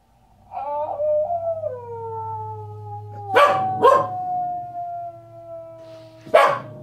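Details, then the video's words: Corgi howling along with wolves on a television documentary: long, steady, wavering tones that slide slowly downward, broken by a few sharp broadband bursts. "Corgi howls along with wolves on documentary"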